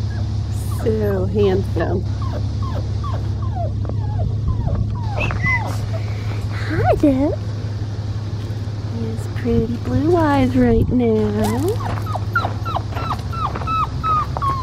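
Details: Blue merle male Australian Shepherd puppy on an Oklahoma farm, upset at being disturbed while nursing, gives high, wavering whimpers and descending cries in short bursts, mixed with a woman's soothing speech over a steady low hum.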